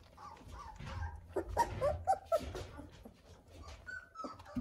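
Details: Eighteen-day-old Weimaraner puppies, just discovering their voices, give thin, squeaky whimpers in short bursts that rise and fall in pitch.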